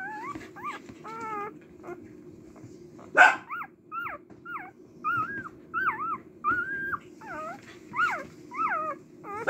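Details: Cardigan Welsh Corgi puppy, a female born 18 March to a mother named Leila, whimpering indoors: a run of high, wavering whines and yips, some rising and falling, given in short bursts about every half second, with a low steady hum beneath.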